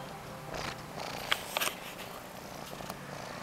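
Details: A cat purring: a soft, continuous low rumble under a steady background hiss, with a few faint clicks and rustles.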